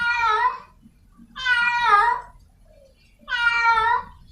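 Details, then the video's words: Three drawn-out, strained wails from a feral cat in heat calling for a partner, each lasting around three-quarters of a second, separated by short quiet gaps with a faint low background hum. "Suara Kucing liar sedang birahi mencari pasangannya | The sound of a wild cat in heat"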